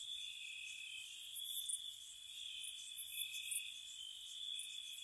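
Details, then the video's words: Crickets at night in spring around a cottage: a steady high trill held in two close bands, with brief shrill bursts of higher chirps rising above it twice. "Cricket Sounds"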